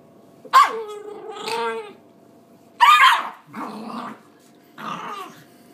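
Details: Angry little female pinscher guarding her food after biting a finger: snarling, growly barks with a harsh, tonal edge, about four outbursts across several seconds, separated by brief quiet pauses.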